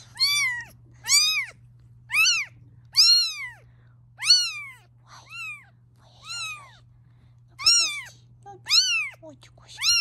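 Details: Domestic mother cat, unhappy with her kittens being filmed, meowing steadily: about a dozen high, downward-curving cries in ten seconds, evenly loud and clear against a quiet room.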